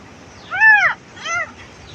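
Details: Kitten left without its mother and in distress, on a village farm: two arched, harmonic-rich meows, the first longer and louder, the second shorter and softer, over quiet background noise.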